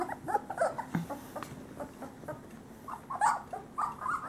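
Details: Great Pyrenees male puppies, about three weeks old, from a summer 2013 litter of Bella and Ranger: many short overlapping squeaks and thin whines, busy and uneven, with scattered soft yips.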